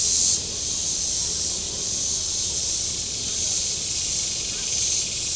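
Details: Shore cicadas at Table Rock Lake, southern Missouri, on a very warm day: a continuous shrill hiss with a brief loud burst at the start, then only faint, spaced swells.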